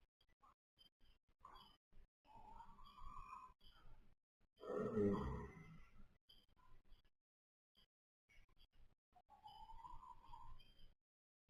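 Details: Sleeping baby pony gives a thin, whistling nasal tone, then one strong rasping snore in the middle and another drawn-out whistle near the end, with quiet gaps between.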